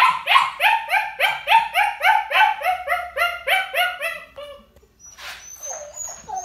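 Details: Young puppy in a crate, left ignored, barking from crate anxiety or demanding behaviour: a rapid, steady run of about fifteen sharp yipping barks, roughly three per second, then a brief pause and a faint high whine.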